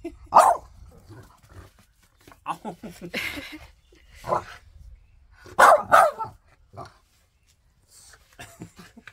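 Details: French Bulldog arguing with its owner over his shoes: short bursts of grumbling, whining vocal sounds in uneven clusters with pauses between, some louder yelps near the start and middle, quiet room otherwise.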